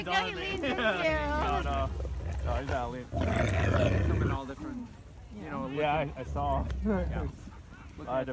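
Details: At a husky and malamute meetup in snow, loud wavering howled 'talking' calls with sliding, wobbling pitch come in bursts, broken by a rush of wind-like noise near the middle.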